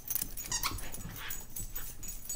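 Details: Two pet dogs, a 4-month-old Mini Bull Terrier puppy named Sparkles and a 15-month-old Toy Fox Terrier named Princess, playing together; one gives a short, high, tonal whine with rising overtones amid growly, scuffling noise.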